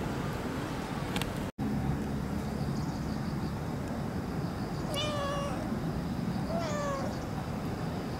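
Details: Cat visiting in daylight near the autumn equinox, late September, coming for milk: two clear rising-falling meows with rich harmonics around five and seven seconds over steady low background hum.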